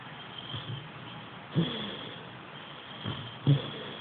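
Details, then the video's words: Tindrah, a sleeping Boxer puppy, snoring: low, rough, snorting breaths come in irregular bursts roughly every one to two seconds, with a louder snort near the end and quiet room hiss between breaths. "snoring boxer puppy"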